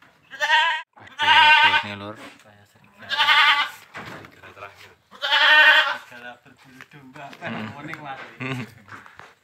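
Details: Boer goat on a village farm during crossbreeding with a young goat: three loud, quavering, harmonic-rich bleats about two seconds apart, each roughly a second long, followed by softer murmuring voices of people nearby.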